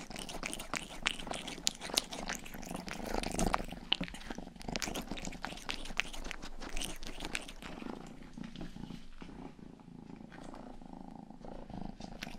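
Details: Purring from Rangi, a young house cat, mixed with dense ticking and smacking sounds of ear licking on a 3Dio microphone indoors; the low rumble runs underneath, with louder licking strokes throughout and a softer patch near the end.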